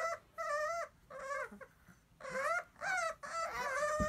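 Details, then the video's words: Kennel Club registered Bulldog puppies whimpering indoors: drawn-out, high, wavering whines, each about half a second long, coming in five or six bursts separated by short pauses. "Bulldog puppies"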